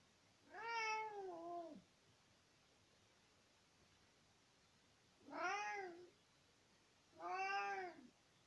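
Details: Spring 2020 recording of Nicki, an 18-year-old male cat talking to his owner at home: three long, arching meows with rich harmonics, the first drawn out and falling at its end, the last two closer together.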